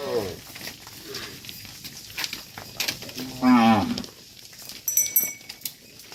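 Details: Dozens of tame cattle being herded back to a farm pen: a loud, drawn-out moo with a steady low pitch, among fainter lowing and background clatter.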